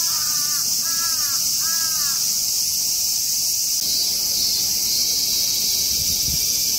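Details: A Hyalessa maculaticollis cicada, filmed up close while calmly feeding, gives a steady, high, hissing drone. Three short, harsh, crow-like calls sound at the start.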